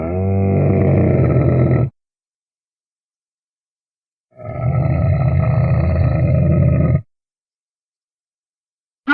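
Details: Camel giving two long, low, throaty grunting bellows, each about two to three seconds and heavily rumbling, separated by a few seconds of silence.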